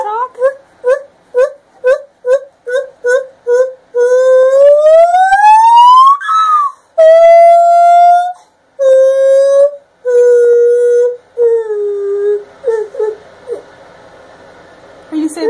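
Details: A five-year-old female gibbon shows off her calling, loud pure hoots in a quick run of notes swelling into long rising wails.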